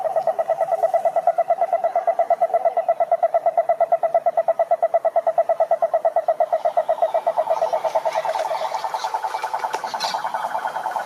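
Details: Pond chorus of many frogs, a strong, evenly pulsed buzzing trill running for over ten seconds without pause, backed by a fainter layered rattle from other callers.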